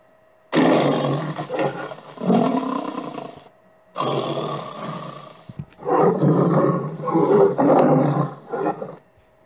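A lion gives deep, rasping roars in long, rumbling bursts separated by brief pauses.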